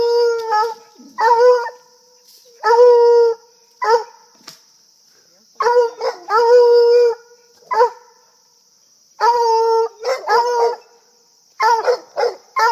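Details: Coonhounds that have spotted a squirrel, baying in long sustained howls with strong harmonics and short yelping bursts, in irregular clustered bouts across the recording, with a steady high hiss in the background.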